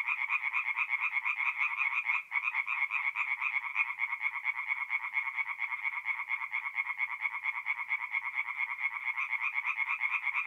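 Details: Night chorus of many tree frogs at a forest pond in north-east Italy, mid April: steady overlapping rattling croaks roughly twice a second, one brief dip in the din just past two seconds, otherwise unbroken.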